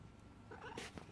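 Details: Emma, a talkative domestic cat seeking attention at home, gives a brief, chattering meow that wavers in pitch and ends in a breathy burst.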